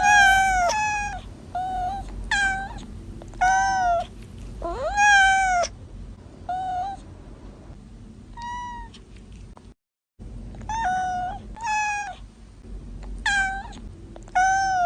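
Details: Newborn kittens mewing in irregular bursts, about forty calls a minute, short harmonic cries mixed with longer rising and falling ones, a brief silent gap midway.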